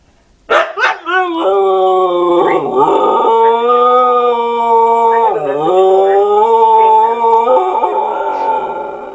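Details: : a long sustained howl with rich stacked harmonics, pitch wavering and dipping briefly near 2.5 and 5.5 seconds, continuing unbroken to the end after a few short opening yelps.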